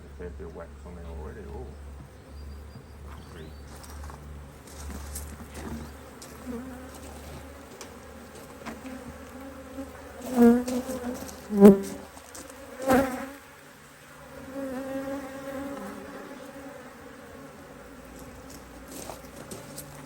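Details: Honey bees at a hive opened to add a box of empty frames, Australia, almost mid-Autumn 2023, fine weather, colony working strongly; steady droning buzz throughout, with a few sharp knocks and clatters from hive handling mid-way.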